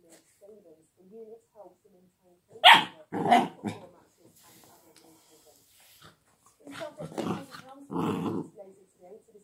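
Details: Young chocolate Labrador Retriever puppy giving a few short, harsh, broadband barks in two pairs several seconds apart, with quiet human voices murmuring in the gaps.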